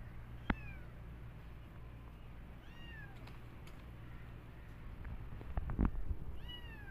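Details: Cat family visiting a new place they enjoy exploring: three short, high, downward-curving meows spread across several seconds, over a steady low hum with scattered clicks and knocks.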